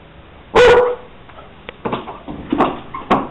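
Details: Young pet dog missing its owner who is away at work: one loud, sharp bark near the start, then a string of softer, short yips and huffs.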